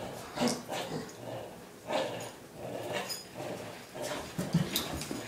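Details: Six-year-old Boston Terrier in Sun Prairie, Wisconsin, playing tug-of-war and gripping hard; short voiced growling and whining bursts come about once a second, each with a rough, harmonic tone, plus scuffling and handling noise.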